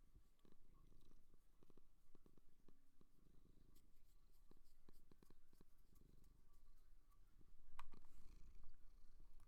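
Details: Seal purring: a low, rumbling pulsed purr in steady quick beats, about three per second, with scattered soft clicks and a brief louder rumble near the end.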